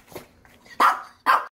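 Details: Angry Maltese, recovering at home from surgery, gives two loud sharp barks close together after a soft low sound at the start; quiet indoor room, a person speaking around it.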